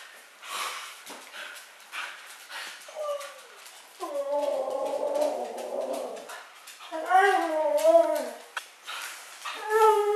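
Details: Siberian husky indoors, 'talking' with her owner: a man's speech and noises first, then wavering, yodel-like howls that rise and fall in pitch over several seconds, broken by short pauses, with a last short moan at the end.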